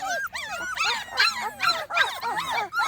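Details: Small Munsterlander puppies, a litter at 2.5 weeks old outside for the first time, with a visit from an older litter; overlapping high whimpers and squeals rise and fall in quick bursts, several pups calling at once.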